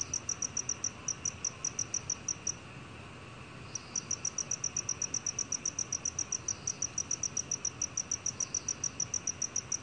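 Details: A black cricket, in a 2020 Korean national biological resources recording, gives rapid, evenly spaced high-pitched chirps. After about a second of silence the chirps resume in a long regular series.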